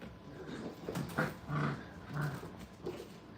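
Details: Feisty five-week-old kennel puppies wrestling, the dominant pair pinning another; low, rough growling grunts repeat in uneven bursts about every half second, with a brief quiet remark between them.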